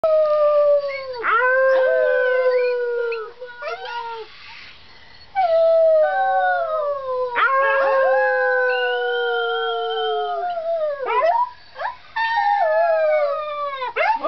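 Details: Arctic wolf pup a few weeks old, sitting in a cat tree tower indoors, howling: long sliding tonal howls with rich harmonics, several drawn-out notes that rise then fall, separated by short pauses, with a few brief yips.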